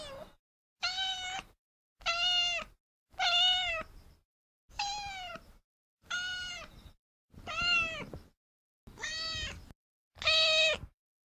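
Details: Repeated cat meows, eight in a row roughly every 1.3 seconds, each a tonal, slightly arching mew lasting about half a second, with clean silence between.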